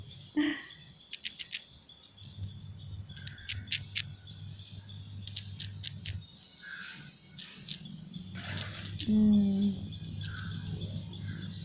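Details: A squirrel gnaws a biscuit held tightly in its fingers, making sharp, irregular dry clicks and crunches over a steady low hum.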